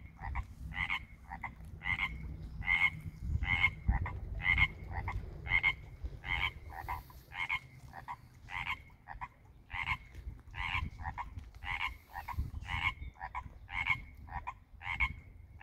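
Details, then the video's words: Spring chorus of tree frogs at a Pacific Northwest koi pond, less than a year old: crisp, ringing double-note croaks pulsing roughly every half second without pause, over a faint low background hum. "Frogs at the fish pond"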